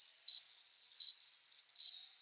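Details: Adult male cricket stridulating to attract a female, part of the chorus of summer nights: three brief, steady, high-pitched chirps about three quarters of a second apart, clear and dry over a silent background.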